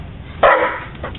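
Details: A single abrupt bark from one of two German Shepherds, Scooby and Roscoe, romping in the first snowfall of the year, with a faint shorter sound trailing after it over low background hiss.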